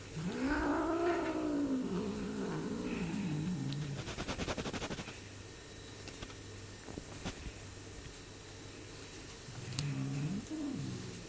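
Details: A Bengal cat munching on its owner's hand gives a low, wavering, moaning growl that swells and fades, then returns briefly.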